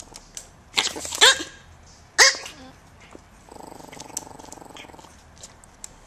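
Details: Micro teacup poodles Mokona and Momoko, AKC dogs from US Swamp Rats, Colletts Country and Velvet Touch bloodlines, living in Hong Kong: two bursts of shrill, high yappy barks, then a low steady buzzing rumble and faint clicks.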